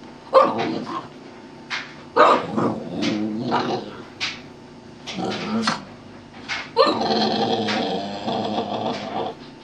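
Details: Boston Terrier putting on a show for a treat, with short repeated barks and grunts, then a long wavering sung howl, while its owner speaks encouragement nearby.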